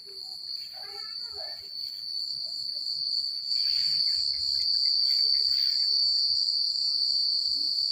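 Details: Crickets chirping through a country night, their constant high pulsing trill layered over soft wind and rustling leaves that swell after a few seconds, with faint lower chirps scattered at the beginning.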